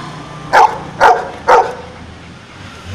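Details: Numbers-trained pet dog gives its answer to a subtraction question: three quick, sharp barks about half a second apart, then silence with faint room noise.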